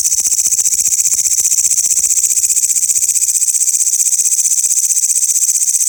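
Grasshoppers sing in a loud, continuous high-pitched chorus of rapid, shimmering buzzing.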